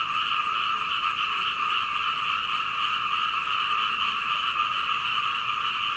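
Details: Frogs croaking all night outside a second-floor window in Hunei, Kaohsiung, Taiwan, captured on a Canon PowerShot camera; steady, dense croaking from many callers forming a constant buzzing wall of sound.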